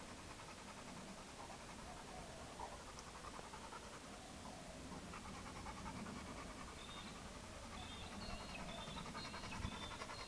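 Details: Chad, a hyperactive four-year-old Labrador Retriever left unwatched, pants in quick, rhythmic, breathy pulses, roughly three per second, with faint high bird chirps in the background toward the end.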